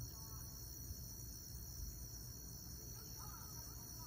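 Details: Crickets trill in a steady high-pitched chorus over a deep, constant rumble during a thunderstorm with lightning.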